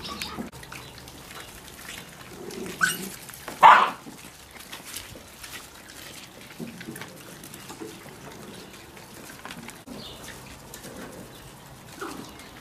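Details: Miniature Pinscher gives one short, sharp bark midway through, with a softer yelp just before it. The rest is quiet background with faint trickling sounds.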